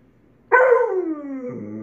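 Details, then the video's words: Pet husky/malamute dog, male, vocalizing on cue as if saying hello: one loud, drawn-out howl-like yowl of about 1.3 seconds, starting high and sliding steadily downward, with a woman's voice prompting beforehand. "Bob, the talking dog, says hello and I love you."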